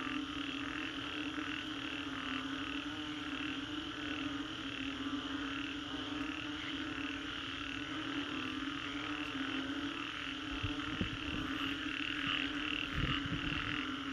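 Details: Frogs calling after a storm in the Green Corridor, Singapore: a dense chorus of overlapping croaks pulsing steadily in mid and upper registers, with a constant low hum beneath and a few low thumps near the end.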